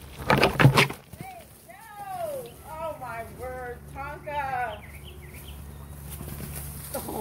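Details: Alaskan Malamute Tonka, alone in the pool after jumping in without permission, cries: a run of about a dozen arched, tonal whines, each rising then falling, tumbling in quick succession after loud splashing at the start.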